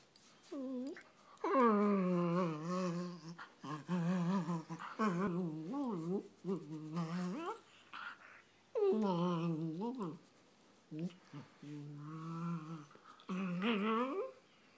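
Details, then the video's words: Pet dog making odd vocal noises when he loves something: drawn-out moaning, yodel-like tones that rise and bend, in several one- to two-second bursts with short pauses, indoors. "My dog making weird noises"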